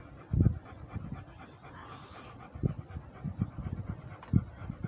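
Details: A walking Rhodesian Ridgeback breathes in low, husky bursts, one strong puff early, then softer irregular breaths and a final sharper exhale.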